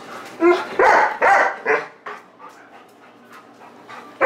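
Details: A ridiculously happy Golden Retriever barking at a man as if trying to tell him something important; four loud, rough barks in quick succession, then softer grumbling vocal noises and a final sharp bark.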